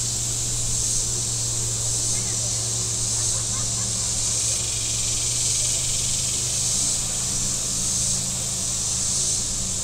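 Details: Shoreline cicadas at Table Rock Lake, southern Missouri, on a hot Saturday keep up a dense, steady high-pitched buzz with gentle swells, while a deep engine hum from passing boats runs beneath.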